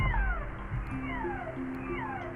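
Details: Humpback whale picked up by a hydrophone in Iceland, vocalizing linked to feeding and possibly socializing with nearby whales; strange, dreamy, resonating humming call of overlapping downward-gliding tones above a steady low hum.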